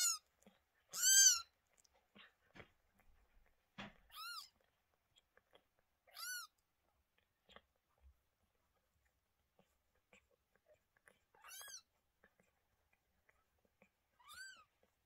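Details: Lola, a domestic mother cat who gave birth to two kittens on 28 May 2023, indoors; five high, thin, arched meows with bright harmonics, spaced a few seconds apart, with soft rustling between.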